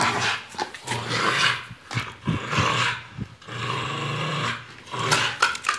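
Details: Dog growling as Jeová confronts the dogs Barão and Larika, Brazil; low, rumbling growls rise and fall in long breathy surges with short snarling bursts, roughly one every couple of seconds, in a small room.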